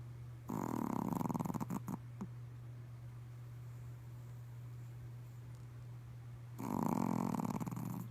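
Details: Pet Pomeranian asleep during a midday nap, giving two long, rattling snores, each a fast buzzy pulse lasting about one and a half to two seconds. A few soft clicks and a constant low hum sit between them.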